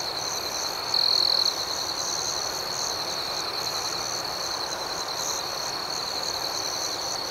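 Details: Crickets chirping at night: a steady high shimmering trill underlies a pulsing upper layer of chirps repeating several times a second, with one brief louder burst of trilling near the start.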